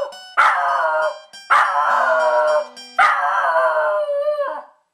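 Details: Pet dog howling along to a guitar on a lazy Sunday at home: three long, drawn-out, wavering howls of about a second each, the last sliding downward as it fades, over strummed guitar chords.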